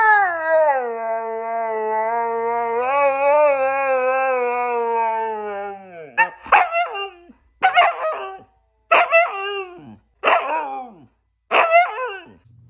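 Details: Siberian huskies at home: one long, wavering, tonal howl lasting about six seconds, then five short, rising-and-falling yelping barks spaced roughly every 1.3 seconds, with no other clear sounds.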